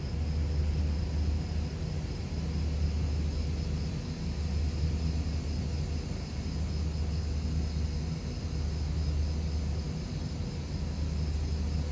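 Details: Heavy, continuous low rumble like a passing vehicle or aircraft dominates throughout, with no animal sound.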